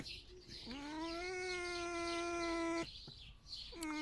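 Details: Captive male red fox rescued from a fur farm, calling as breakfast is brought in the morning: a sustained, level, nasal whine lasting about two seconds, followed by a short rising squeal, with a woman speaking softly.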